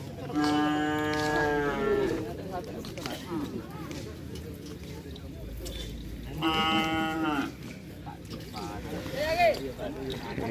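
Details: Large racing bulls training for Kerapan sapi at Asemanis, Pamekasan, on Madura in East Java, Indonesia: two drawn-out, tonal moos about six seconds apart, each roughly one to one and a half seconds long, over constant crowd chatter and outdoor noise.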